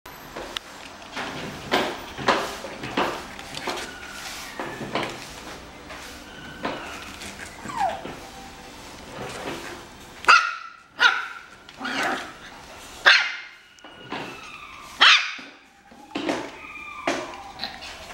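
Shiba Inu puppies whine in high, thin, falling cries, repeated in uneven bursts as they call for their mother.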